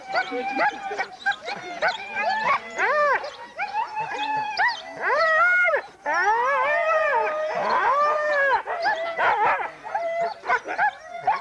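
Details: Racing huskies in the Forest of Dean, November 2001, on a converted VHS recording: a loud group of dogs mixes rapid arched yelps with long, drawn-out overlapping howls, the pack's noise nearly continuous throughout.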